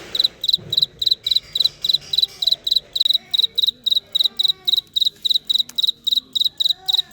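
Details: Cricket. A cricket gives a bright, high-pitched chirp repeated at a brisk, even pace of roughly three to four per second. Quiet voices murmur faintly in the background.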